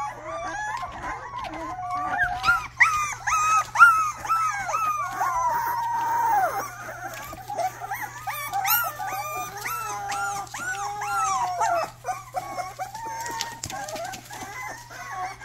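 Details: Rottweiler puppy giving its first barks: high, thin yelps and short howl-like yips in quick, uneven bursts of about two per second, pitch arching up and down, over a steady low electrical hum.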